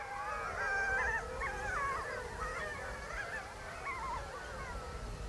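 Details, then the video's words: Several captive gray wolves being trained for a film in China begin howling at night after another wolf's warning; overlapping wavering, sliding howls in a rising and falling chorus over steady low background noise. "Đúng như dự đoán, những con sói khác bắt đầu hú lên, và Clyde đã kết thúc đêm đó."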